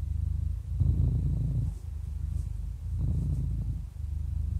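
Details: Happy 11-year-old domestic cat purring: a steady low rumble with louder, rougher swells on each breath, about two breaths over four and a half seconds.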